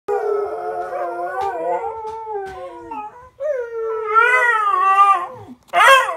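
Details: A beagle howls for no apparent reason in long, wavering notes that fall, then climb again after a brief pause.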